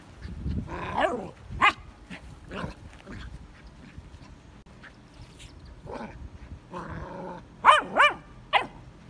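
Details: Scout, a Vizsla puppy, reacts to his first red ball in his digging area with scattered sharp barks and whiny, rising yelps, quiet gaps between bursts and a louder double bark near the end; a person talks encouragingly nearby.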